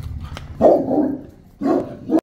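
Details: Boerboel, a South African Mastiff, one of a male and female pair kept in Egypt, giving two deep barks about a second apart, the second followed by a short clipped bark, with a low rumble of background noise between them.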